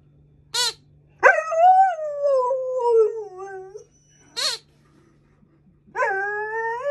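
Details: A female Alaskan Malamute puppy, curious but a little scared of a new squeaky alligator toy, gives a long, wavering howl that slides downward, between short sharp yips.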